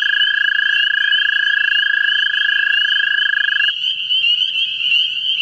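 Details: American toads looking for mates in a vernal pool in central Ohio. A lower, even trill runs unbroken for almost four seconds, then stops, leaving a higher-pitched trill that carries on to the end.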